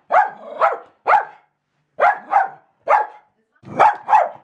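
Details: A female Jack Russell Terrier barks at a paper shredder, giving sharp, high-pitched barks, often in quick pairs with short pauses between.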